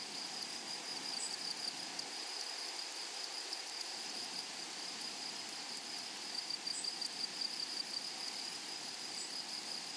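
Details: Grasshoppers in a flowery meadow or prairie: a steady, dense high-pitched buzzing drone with a bright continuous band, overlaid by rapid ticking pulses very high up and a few faint chirps, no other clear sounds.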